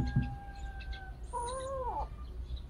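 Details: Motherless baby cat indoors: a single plaintive meow that holds steady, then bends downward at its end, preceded by a faint steady tone and a soft thump.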